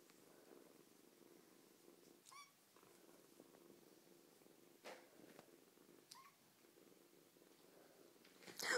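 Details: Eight-week-old female foster kitten, rescued in autumn from a busy street, purring indoors; a soft, steady low rumble runs throughout, broken by a few faint clicks and rustles, with a sharp louder noise right at the end.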